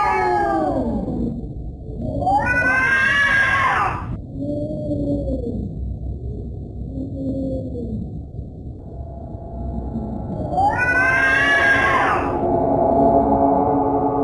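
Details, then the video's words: Cat making scary sounds: loud, strained wailing cries at the start and again near the end, with softer, short low moans repeated in between. "Scary cat sounds"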